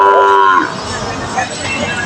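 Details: Bulls at Putia market, Bangladesh, brought for sale: a short harmonic moo in the first half second, then market bustle, voices and vehicle noise.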